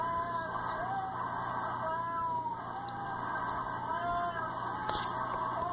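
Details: Upset female house cat Hermy protesting at the vet, giving several long bowed meows that climb then sag in pitch, separated by short pauses, against constant hum and hiss.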